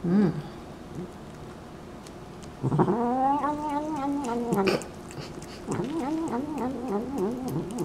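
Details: Pet cat from a funny animal compilation: a short call, then a drawn-out, wavering, harmonic yowl lasting about two seconds, followed by a bumpy series of shorter warbling yowls.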